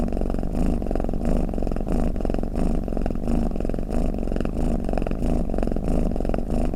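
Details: A domestic cat's snore, meant to make cats drowsy: deep, buzzing rumble surging roughly every two-thirds of a second with each breath, steady and continuous.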